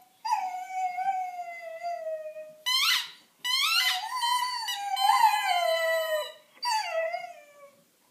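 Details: A 5-month-old female Dalmatian howling with her squeaky bunny toy, in long, wavering tones broken by sharper, rising yelps.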